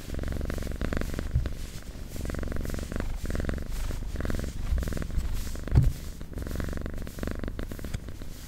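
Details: Domestic cat purring in a close recording: a steady low rumbling drone in long phases separated by brief pauses, each phase made of rapid fine pulses, with faint soft handling noises.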